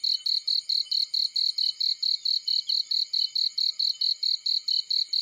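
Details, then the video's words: Cricket in a field beside a burning fireplace, giving a steady run of high, shrill chirps, about four per second in an even pulsing rhythm, with no other clear sounds. "Warm Relaxing Fireplace In Field || Burning with Cricket Sounds"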